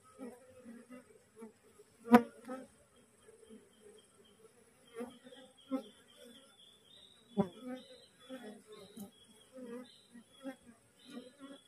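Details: Honey bees from a newly split wild colony clustering on a cassava plant, drawn toward their queen held in a queen cage. Gentle layered humming, broken by sharp close buzzes and a few clicking knocks.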